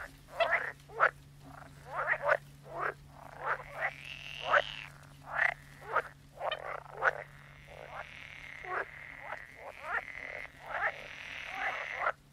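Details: Croaking frogs, rapid series of short knocking croaks repeated roughly every half second, with a longer buzzy trill running underneath and a faint steady hum.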